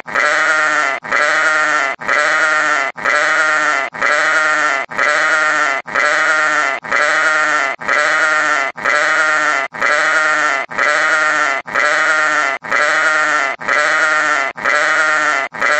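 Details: Steady series of about sixteen sheep bleats, one roughly every second, each a drawn-out, harsh, wavering cry full of overtones, repeated with machine-like regularity and nothing else audible between them.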